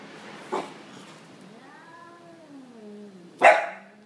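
A Bull Terrier gives a short bark, a long wavering moan, then a louder sharp bark.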